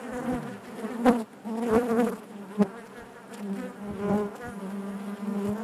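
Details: Honey bees droning within the hive, a low continuous hum punctuated by several louder buzzing bursts as individual bees pass close, then settling back to the even murmur.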